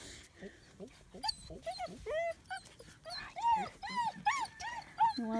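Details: German Shepherd puppies almost nine weeks old, playing outside in Florida in February; rapid high whining yips and squeaky whimpers with arched pitch, repeated many times, overlapping as several pups call, with a faint human voice.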